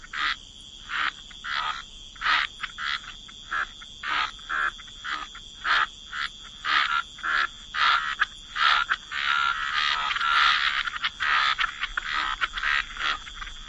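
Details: Waterside frogs croaking in a wetland, short rasping croaks at a steady pace of about two per second, building into a denser overlapping chorus near the end.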